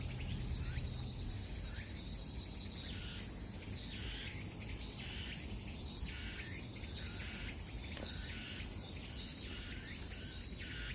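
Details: Cicadas in a forest buzz in high, shrill pulses that swell and fade about twice a second over a low rumble.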